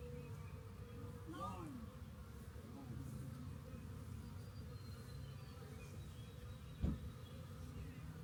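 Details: Honey bee swarm, discovered near a rain gauge and gathered into a box, gives a continuous low humming drone. A brief voice comes early on, and a sharp knock is heard near the end.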